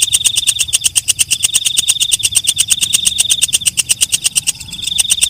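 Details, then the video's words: Night katydid known as walang kecek, calling after dark: a steady, fast pulse of bright clicking ticks, high and shrill, with a short dip near the end before the pulsing resumes. "Suara Walang Kecek/ Belalang Malam"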